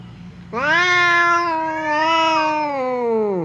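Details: Cat standoff between fierce Temon and reserved Lelo, kept apart by a divider: a sudden loud, raspy yowl held steadily for about three seconds, wavering slightly and sinking in pitch at the close.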